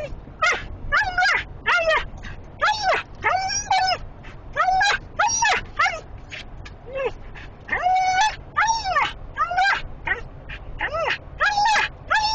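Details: A female Siberian Husky in a small enclosed vehicle gives rapid, high, arching whines and yips, worked up by high prey drive at the smell of sheep in a trailer being followed.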